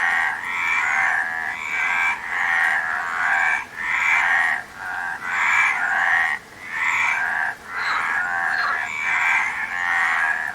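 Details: A steady frog chorus of harsh, pulsed croaks, bursts following one another closely, with a few brief dips in loudness between groups of calls.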